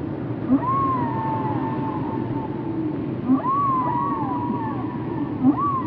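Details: Whale vocalizations used for relaxation: arching moans that rise and fall, repeated about every two seconds, each preceded by a short low grunt, over a continuous low rumble.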